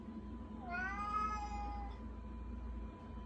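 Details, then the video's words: Begging house cat making one drawn-out meow, rising then slowly falling, with rich harmonics, lasting about a second against a low steady room hum. "Salem Meowing"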